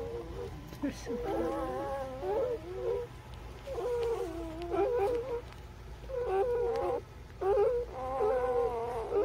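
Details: Newborn puppies, birth to three weeks old, give high harmonic squeals and whines in four bursts, each wavering and sliding up and down, with short quiet gaps between the runs of cries.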